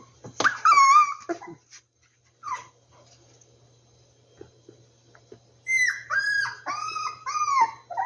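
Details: Opens with a sharp, loud puppy yelp that bends down in pitch. A quiet stretch follows, then a string of repeated high, drooping whimpers from the rescued puppies.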